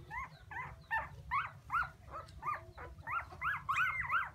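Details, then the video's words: Crying puppies calling for their mother, giving clear, tonal, arched whines, each rising then dropping, repeated about two to three times a second with short gaps, set against a faint low background rumble. "Why Puppies So Crying full Where is mommy?"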